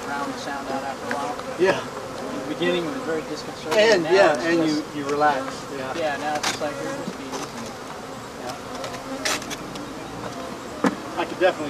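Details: African honey bees from a hive being taken out and exterminated, humming in a thick swarm drone that rises and wavers in pitch around the middle, punctuated by scattered clicks and knocks.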